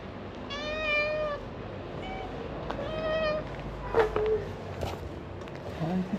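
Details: Stray cat meowing outdoors: two clear, drawn-out harmonic meows near the start and middle, plus a short chirp, with a person greeting the cat nearby and faint street background.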